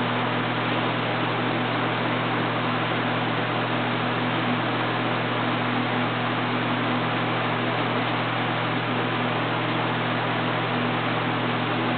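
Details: Constant broadband hiss like a fan or recorder noise fills the whole stretch, with no bark or other animal sound.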